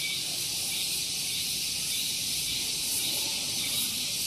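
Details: Shrill cicada song in the morning on Gunung Geulis, Bogor, West Java, Indonesia, recorded close to a parking area: a solid high buzzing wall of sound, steady and continuous, over a faint low murmur.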